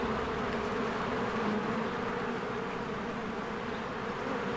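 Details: Swarms of honeybees flying in and out of their hive in spring, flowers blooming, recorded on a Canon EOS R: a dense, steady buzzing hum layered in bands around the low and middle pitches, unbroken throughout.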